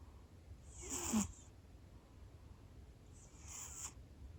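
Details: Male Scottish Fold cat snoring loudly soon after falling asleep indoors; two breathy, hissing snore bursts about two and a half seconds apart, the first louder with a low rasp, over a quiet low hum.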